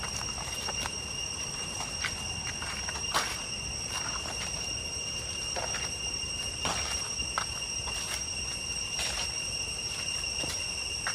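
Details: Cicadas calling in Cambodian deep jungle toward Chhay Yong Waterfall, Areng area, Koh Kong Province: several steady piercing tones sustained without pause, punctuated by repeated footsteps crunching along the way.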